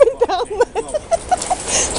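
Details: Puppies named Ivy, Beanie and Bigsby play at Crufts in the evening after everyone has left. They give a quick run of short, squeaky, wavering yelps, about eight in two seconds, that fade into rustling.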